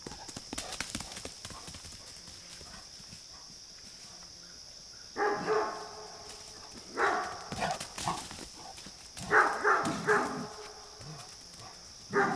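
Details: A Great Dane barks at neighborhood deer that torment her, giving deep, booming barks in short, irregular bursts with a steady high hum behind.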